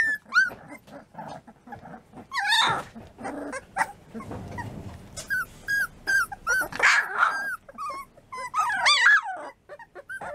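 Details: Litter of American Bulldog puppies, three weeks old, keeps up a steady chorus of high whines and short yelps, some wavering and rising, with occasional low grumbling and rustling between calls.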